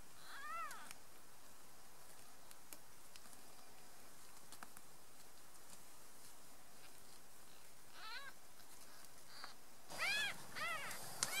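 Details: Three-day-old domestic kittens squabbling and kicking, giving thin arched mews with stacked harmonics: one near the start, another around eight seconds and a louder cluster near the end, over a quiet hissy background.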